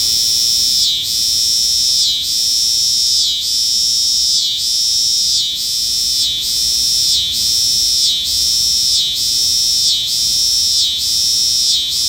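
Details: A cicada sings a continuous shrill, metallic drone, pulsing with short regular breaks about once a second throughout, bright and even in loudness, with nothing else clearly heard.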